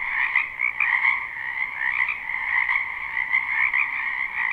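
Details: Springtime wetland frogs, many calling at the same time in a live recording, give a ringing, trilled chorus on two steady tones, with brief louder bursts every second or so as nearer croakers join in.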